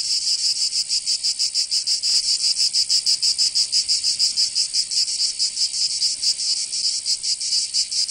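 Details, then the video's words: Provence cicadas in summer, southern France, filling the air with a shrill rasping buzz that swells and dips about three times a second; a brief faint click sounds near the two-second mark. "Canto Cigarra 🦗 [ Escuchar les cigarras en verano"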